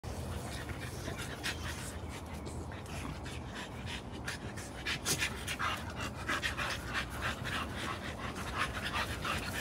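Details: Merle American Bully puppies at play: continuous rapid, breathy panting with scattered short bursts of noisy scuffling, over a steady low rumble throughout.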